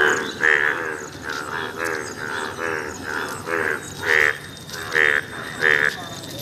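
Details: An Indian bullfrog, yellow in colour, gives a steady run of nasal, buzzy croaks, about one every two-thirds of a second.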